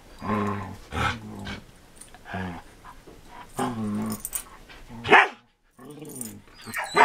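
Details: Two dogs, a Samoyed and a Border Collie, at play in 2014: deep harmonic barks mixed with throaty growling, uneven spacing, and a short pause before more barks.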